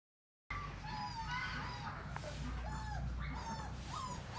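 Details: Border Collie from a litter whose mother was imported from Australia: a few short, high, whining whimpers that bend up and down, with a steady low hum and room noise underneath.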